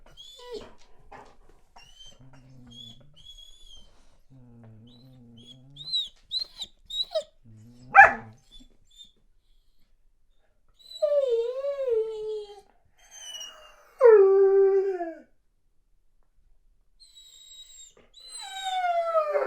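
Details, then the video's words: Weimaraner pining while boarded away from home, with a smaller dog howling along. High, wavering whines and soft low whimpers build to a single sharp bark near the middle. Later come longer falling, drawn-out whines. "Веймаранер скулит и лает"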